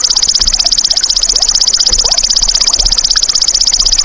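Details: Golden grasshopper, a natural insect sound used to tutor songbirds: an unbroken, shrill, finely pulsed buzzing trill, steady in pitch and loudness throughout, with faint soft chirps underneath.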